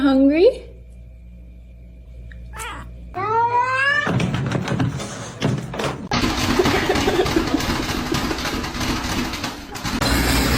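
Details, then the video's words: Kitten crying with two rising, harmonic mews, a brief one at the start and a longer upward-sweeping wail a few seconds later, then several seconds of loud rustling noise and a human voice. "kitten meowing crying"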